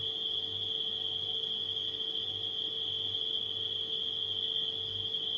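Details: High, constant chirring of nighttime crickets holds level from start to finish, while a refrigerator hums underneath with a low, wavering pulse.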